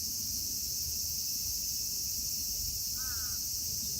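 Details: In Kitatama District, Tokyo, Japan, a cicada chorus (Platypleura kaempferi, Graptopsaltria nigrofuscata, Hyalessa maculaticollis present) forms a constant shrill hiss; near the end a bird gives one short, falling, harsh call.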